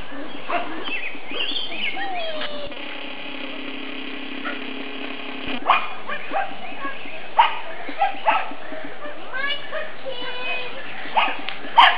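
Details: Pug puppies, nine weeks old, black and fawn, romp around a sunny spring yard. High, bending yips and whines come in scattered bursts. A steady hum runs through the middle part.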